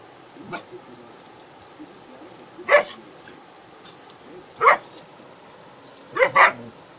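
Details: German Shepherd dog playing with friends, including a goat. Four sharp, broadband barks stand out: one near the third second, another two seconds later, then a quick double bark at the end, over a low, steady background hiss.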